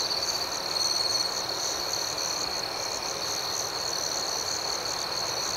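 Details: A dense nighttime cricket chorus outdoors, a continuous high, rippling hum with no single caller standing out except a faint, brief trill near the start.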